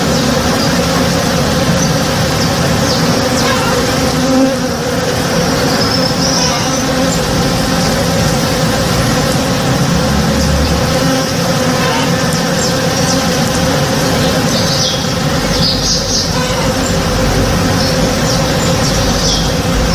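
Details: Many honey bees busy in a backyard tree in bloom at morning, their dense, unbroken hum swelling slightly now and then, with occasional faint bird chirps and light rustling in the background.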